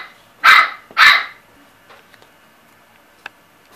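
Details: Chihuahua giving two short, shrill barks in quick succession, followed by near silence with faint small clicks.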